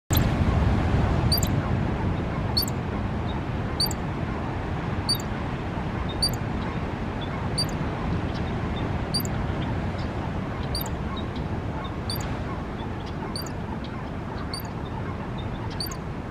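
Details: Ground squirrel at Lovers Point Park in Pacific Grove sounding its squeak alarm: short, sharp, high chirps repeated steadily about every second and a half, a dozen in all, over a constant low rumble of wind or surf.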